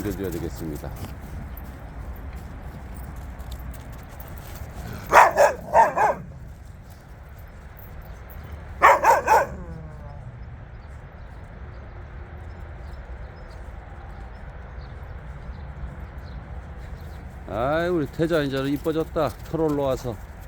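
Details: Jindo dogs out on a free walk; two short bursts of sharp, rapid barks, each a quick cluster of two or three, separated by a few seconds of quiet, followed by a person talking near the end.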